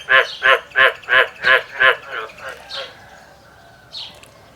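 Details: Male frog in a field calling: six loud, grating, pulsed croaks at an even rhythm, trailing off into softer notes and quiet, with one faint high chirp near the end.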